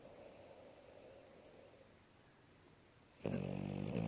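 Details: French Bulldog female sleeping on a bed after running and playing; near-quiet breathing, then a sudden loud, low, rasping snore starting near the end.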